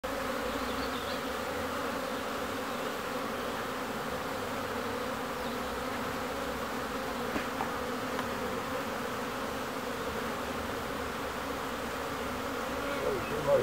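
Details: Bees in Ebersberg, Germany, producing a constant, even buzzing drone of many insects together, a steady hum without pauses across the whole stretch, with a faint rustle near the end.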